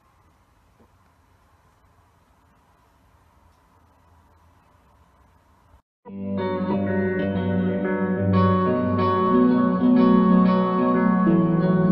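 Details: Quiet room hiss for six seconds, then loud plucked guitar music with a steady beat; no animal sound.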